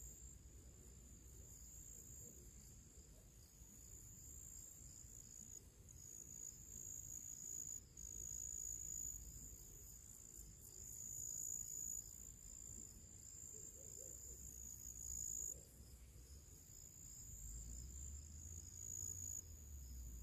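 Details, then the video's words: Crickets singing their pre-evening song in nature on a summer day: a steady, high, shimmering trill with fast pulsing above it, continuing without break, over a low rumble of wind or background noise. "cricket sounds"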